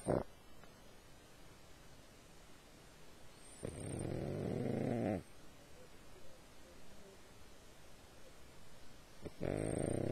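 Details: A sleeping dog snores in a quiet room, with breathy, rumbling snores about a second and a half long, separated by several seconds of soft breathing and low background hiss.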